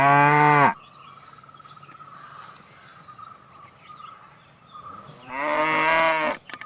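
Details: Two full, rich moos from a cow, one at the start and one near the end. Between them is a quiet stretch with soft, wavering insect-like tones and faint chirps.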